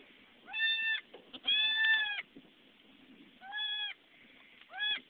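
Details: Newborn goat kids just born to a farm nanny goat, with a mother goat nearby: four high, tonal, wavering bleats, the second one drawn out, separated by short pauses and light rustling.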